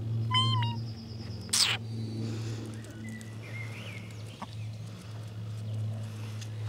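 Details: A cat gives one short, clear meow that dips slightly at its end. A sharp knock follows, then a few faint, higher squeaky sounds over a steady low hum.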